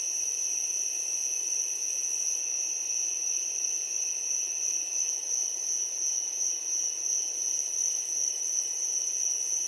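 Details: Crickets just before sunset fill the air with a seamless, piercing high chirring, a steady ringing tone over a fainter lower band, level and unchanging; no birds, wind or people heard.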